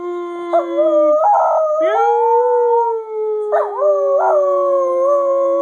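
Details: Scruffy the singing dog holds a sustained, even howl with short rising and falling wavers. A higher, parallel tone is heard with it throughout.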